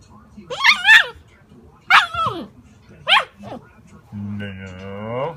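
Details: Alaskan malamute puppy making wavering, yodel-like howling calls that rise and fall in pitch, three separate calls over about four seconds, followed by a steady low drawn-out tone to the end.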